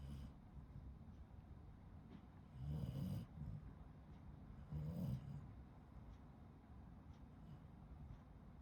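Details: Shiba Inu asleep and snoring, two deep rattling snores roughly two seconds apart, each a short low grumbling exhale, with soft breathing and faint room hum between them.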